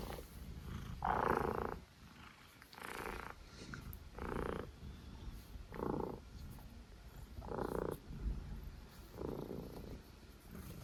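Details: Stitch the pet cat snoring steadily: a rhythmic series of raspy, broadband breath sounds, one roughly every one and a half to two seconds, evenly paced against a quiet indoor background.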